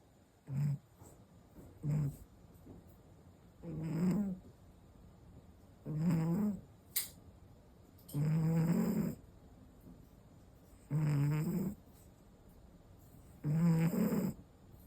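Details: Five-year-old male American Shorthair cat snoring in sleep, recorded 1 June 2025: low rumbling snores, each lasting about half a second to a second, repeating roughly every two seconds, with faint raspy overtones and quiet pauses between breaths.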